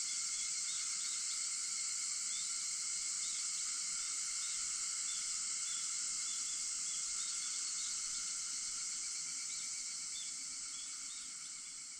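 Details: Many cicadas calling at 4:50 a.m. on August 4 make an unbroken high shrill buzz over faint pulsing lower tones, holding steady before fading out toward the end.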